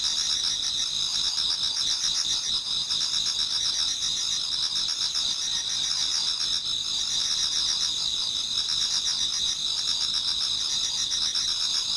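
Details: Many insects in a Japanese garden sing towards dawn in autumn, a steady high-pitched chorus of rapid pulsing chirps and sustained ringing trills that carries on unbroken from start to finish.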